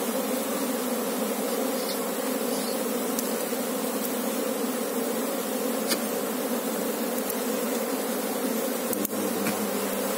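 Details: Apis cerana honey bees humming in a thick, constant drone as the colony is worked to locate its queen; the buzz holds steady throughout, broken only by occasional light taps.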